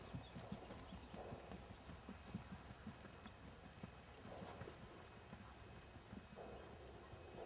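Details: Keg-shod Tennessee Walking Horse named Jerry, a natural-moving, head-shaking 3-gait show and trail horse aged six, produces a continuous patter of soft, low hoof thuds, with brief bursts of rustling noise in between.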